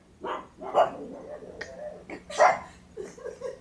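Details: Female pug barking indoors with a toy held in her mouth, reacting as if someone were at the door; muffled, gruff barks in irregular bursts, the two loudest near one and two and a half seconds, with quieter huffs between.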